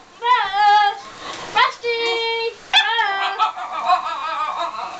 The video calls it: basenji howling